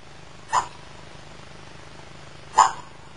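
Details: Casey, a female 13-inch beagle kept as a family pet with her puppies, recorded in 2010: two short, sharp barks about two seconds apart over a low steady indoor hum, otherwise quiet.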